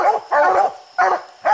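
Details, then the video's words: Coonhound barking up a tree holding a raccoon on a steep hillside: four loud, harsh barks with uneven gaps, one longer and doubled, against a quiet background. "Coons everywhere treed the furthest coon up a steep hillside"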